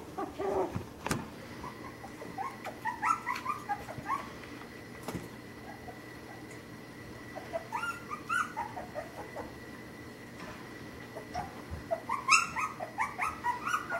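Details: A litter of puppies playing in the busy part of a house whimper in short clusters of rising and falling whines, separated by quieter stretches with a steady electrical hum and light knocks.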